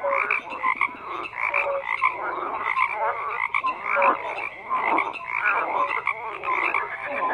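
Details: Frogs croaking in a dense chorus: overlapping rough, pulsed croaks layered with short higher whistled notes, loud and continuous with rhythmic swells, no other sounds standing out.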